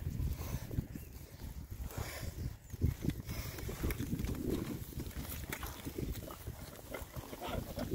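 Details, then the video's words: Oxford Sandy and Black pigs, six of them, rooting on a winter forage between storms; soft, low snuffling grunts come steadily under a rustling, noisy background. "rare breed Oxford Sandy and Black, happy pigs, winter forage. 6 boys. ASMR oinks."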